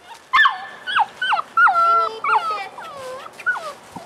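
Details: Seven-week-old Moscow Watchdog puppies playing in a garden, giving a quick series of high whimpering yelps with sharp pitch bends, about a dozen in four seconds, with brief speech beforehand.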